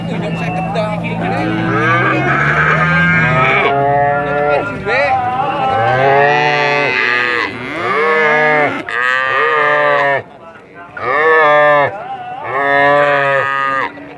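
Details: Cattle giving very long, drawn-out moos, several overlapping callers with strong harmonic bellows rising and falling, each lasting a few seconds, separated by short gaps; faint human voices in the background.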